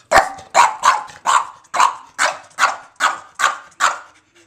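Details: Rocket, a foster dog indoors, barks repeatedly: about nine sharp, loud barks spaced roughly half a second apart, each bark bright and noisy with a quick decay.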